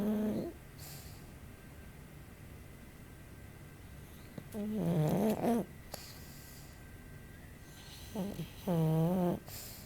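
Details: Pug sleeping with eyes rolled back so the whites show, snoring softly: two low, drawn-out nasal snores with buzzy, wavering harmonics, each lasting about a second, over steady background hiss.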